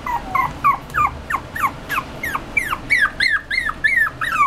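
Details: Poodle-Chihuahua mix puppy whimpering: a rapid series of high, thin, whining notes that bend up and down, about three per second, growing slightly stronger toward the end, with a faint low background hum.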